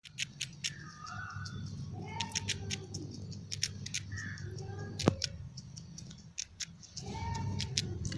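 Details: A squirrel eating a biscuit held tightly in its fingers gnaws with sharp, crisp clicks and crunches in quick irregular bursts. The crunching carries far.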